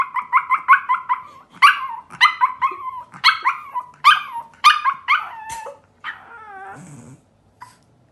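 A Pomeranian puppy sings in quick bursts of high, yipping howls, each note bending down as it fades. Near the end the voice softens into a thin, wavering whine.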